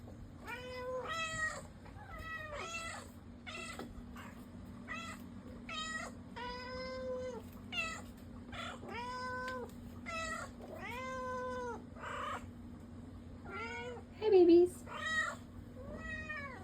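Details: Several pet cats, including a black cat and a tuxedo cat, meowing indoors in turn: a steady sequence of drawn-out, harmonic meows, some short and some long and wavering, with a constant low hum underneath.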